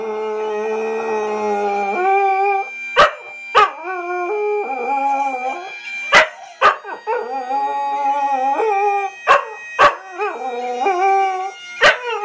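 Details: Bixby, a Scottish terrier, howls along to "Flower of Scotland" as the music plays. Long, wavering, tonal howls rise and fall over the tune, broken by sharp percussive hits.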